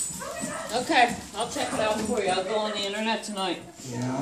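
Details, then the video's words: German Shepherd puppy and wheaten Terrier at play, giving high, wavering whiny whimpers and short yips in a quick run, with a man's voice talking over them. "Puppies playing"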